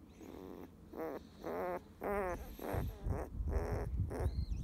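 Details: Drowsy fifteen-day-old field-type Labrador Retriever puppy, petted while sunbathing, utters a handful of wavering nasal whines about a second apart, with low rumbling handling noise underneath in the later part.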